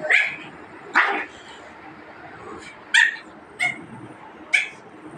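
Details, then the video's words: Pugs fighting: five short, sharp yelping barks, sudden and high-pitched, scattered unevenly over about five seconds with quiet gaps and low scuffling between them. "Pugs fight"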